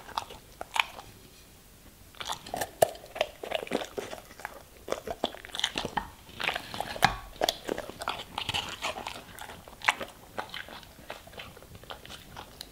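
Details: German Shepherd dog crunching vegetables and fruits in a small room, its bites coming in rapid, irregular snaps and crackles, steady after a quieter first two seconds.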